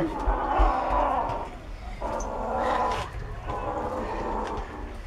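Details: A cat growls over bones it is eating, a low, continuous rumbling in three long swells, each lasting over a second, as people talk quietly nearby.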